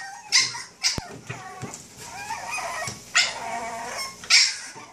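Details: A Boston Terrier gives sharp, high yapping barks with whiny whimpers in between, acting as an alarm clock to wake someone up.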